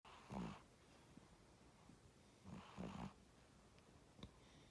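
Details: A cat named Tora snoring while asleep, two rough breathy snores with a low buzzing core, the second longer and doubled, over a quiet indoor hush.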